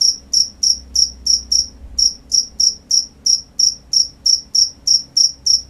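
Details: Night-time crickets give a fast, even train of bright, high-pitched chirps, about three each second, each one short and piercing, over a soft low background hum.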